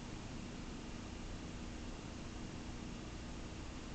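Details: Caramel the cat gives a continuous low purr, an even grainy rumble with no pauses over a faint background hiss.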